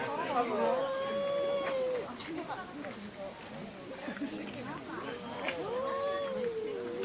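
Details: Pet cats quarrelling at home: two long, drawn-out wailing meows, each arching up and falling back over more than a second, open and close the stretch, with softer mewing and faint thuds between.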